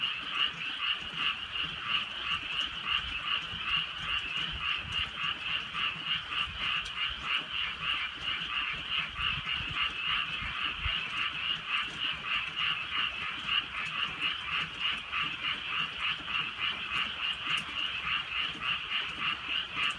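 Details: Frogs calling in the countryside on a drizzly rainy night: a dense, continuous chorus of rapid, rattling pulsed croaks from many overlapping callers, steady throughout, with faint rain patter beneath.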